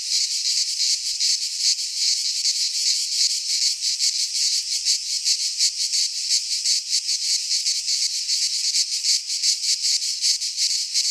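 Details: Greek pine forest cicadas in midsummer: shrill, rattling drone throbbing in fast pulses roughly 160 per minute, constant intensity, nothing else audible beyond occasional faint low thumps.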